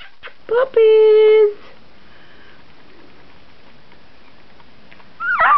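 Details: Two-week-old puppies: one steady, level whine held for about a second, then a short wavering yelp near the end, with quiet room background between.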